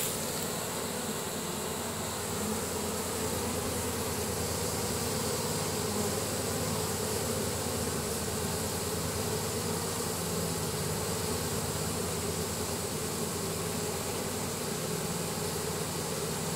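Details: A honey bee swarm moving into a new hive after the queen was placed inside, the bees marching in. A steady, heavy buzzing drone runs unbroken throughout, with a low throbbing undertone.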